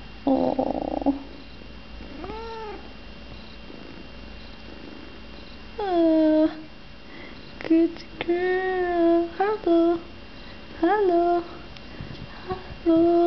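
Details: Three-month-old female Balinese kitten, indoors, giving a series of short, clear, tonal meows that rise and then fall, spaced unevenly over several seconds, with a person's voice briefly at the start.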